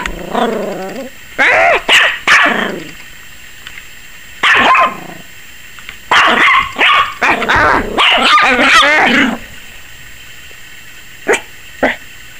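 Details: Maggie, a 21-week-old Yorkshire Terrier puppy, barking wildly and apparently scared of the camera: bursts of sharp, high yapping barks in quick clusters with short pauses between, very rapid and uneven.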